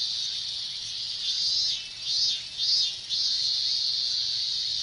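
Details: Minmin cicadas calling in the heat of a Japanese summer, a shrill buzzing drone that rises into three or four loud surging swells in the middle before settling back to a steady whine.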